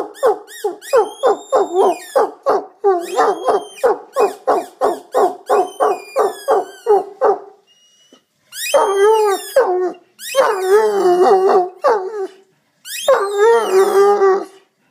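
An Irish wolfhound yips in quick rhythmic bursts, then breaks into long, wavering, singing howls.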